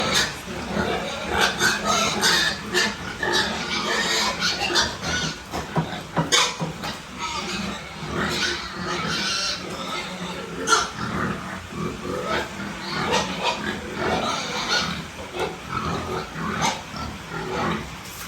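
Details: Hungry piglets calling continuously: a dense, noisy chorus of overlapping squeals and grunts with no pauses, harsh and broadband throughout.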